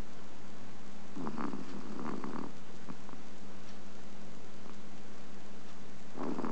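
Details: Chihuahua napping in the daytime, August 2010, snoring softly: faint, rough breathy bursts around one to two and a half seconds and again at the end, over a steady low electrical hum.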